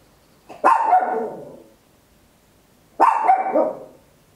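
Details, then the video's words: Tiny Papillon dog at home barking very loud, recorded in stereo with an Olympus LS-11: two strong barks about two and a half seconds apart, each with a ringing tail. "Tiny Dog Barking Very Loud, Papillon"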